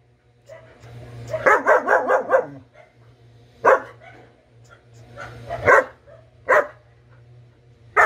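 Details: Four-month-old double-coated German Shepherd puppy gives a quick run of barks followed by scattered single yips and barks, with a low background hum and possible faint speech.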